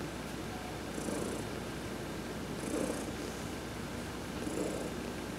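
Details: Adopted domestic cat purring while being massaged during a sunbath; a steady low rumbling purr that swells with each breath roughly every 1.7 seconds, with a faint soft hiss at each swell.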